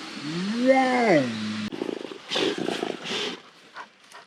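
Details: Asian black bear producing a brief wavering harmonic moan that climbs and then levels off low, followed by quick, noisy, breathy pulses.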